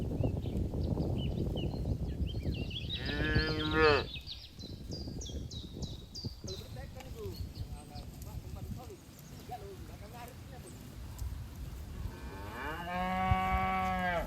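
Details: Grazing cattle herd in a green field; a short moo around the third second, scattered bird chirps, and a longer, steady lowing call that rises and settles toward the close.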